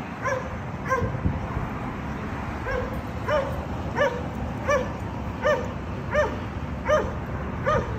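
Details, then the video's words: Dogs at a condominium barking, a disturbance to neighbours that happens three times every day; sharp, fairly regular barks repeated roughly every half to one second over a steady background rumble. "Disturbing noise by Dogs barking"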